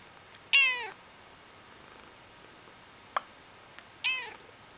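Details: Domestic cat, noted for loud purring, calls two clear, bright meows about three and a half seconds apart, each harmonic-rich and slightly falling, with a brief click between them in a quiet indoor setting.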